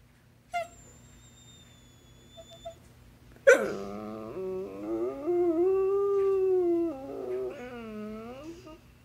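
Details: A very vocal basset hound, trying to tell its owner something, indoors: after a faint thin whistle and quiet clicks, a sudden yelp opens a long wavering howl-whine with rich harmonics that rises and falls for about five seconds, then fades.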